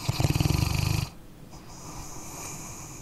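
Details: ['Dog asleep, giving a short burst of low, rapidly fluttering snore about one second long, then soft steady breathing and faint hiss.']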